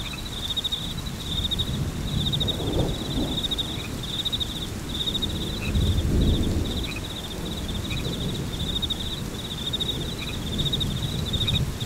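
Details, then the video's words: Continuous high, rapidly pulsed cricket chirping over a constant low rumble of rain, with soft thunder surges. "Frog Crickets / Rain Thunderstorm"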